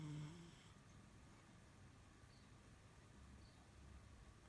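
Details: A French Bulldog snores with a low, rumbling, rough breathing sound after a brief nasal snort.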